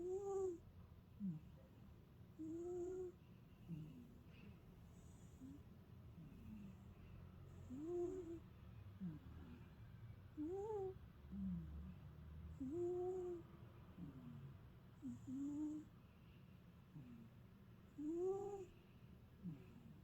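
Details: An old pet cat in deep sleep, snoring: soft whistling nasal snores with rising-and-falling tones, repeating roughly every two and a half seconds over a low breathy rumble.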